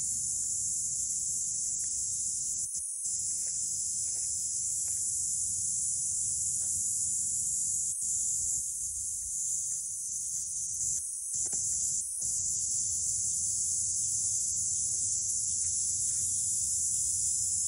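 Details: Kaempfer cicada (Platypleura kaempferi) song, recorded in Saitama Prefecture, Japan, on 22 July 2022: a steady, high-pitched, shimmering buzz that barely pauses.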